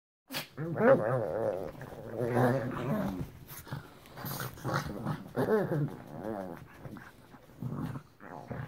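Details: Female pugs play fighting and doing bitey face indoors while a person tries to sleep; rough, throaty growls and whiny grumbles come in dense bursts through the first three seconds, then shorter scattered growling bursts follow.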